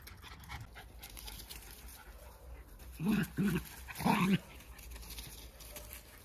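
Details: Two Jack Russell Terriers, close friends, play-wrestling in a friendly fight where no one gets hurt; three short, loud growling bursts come in quick succession midway, over steady scuffling and soft panting.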